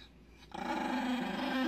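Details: An angry dog gives a steady, low, rumbling growl that starts abruptly after half a second and holds without a break to the end, rough and continuous.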